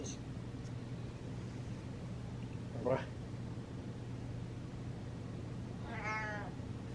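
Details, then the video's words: Happy domestic cat indoors gives a single short, slightly wavering meow near the end, after a brief faint squeak earlier, over a constant low hum. "Cat Has A Meow And Happy"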